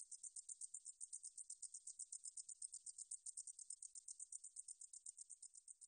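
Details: Meadow katydid (등줄어리쌕쌔기), recorded by Korea's National Institute of Biological Resources in 2020: a high, dry buzzing trill of rapid pulses, roughly ten per second, steady throughout, with no other sounds.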